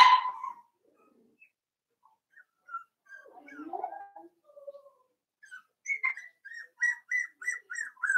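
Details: Cavalier King Charles Spaniel puppy, four weeks old, in a pen; a loud opening squeal, quiet scattered squeaks and murmurs, then a steady string of short high yips about every third of a second.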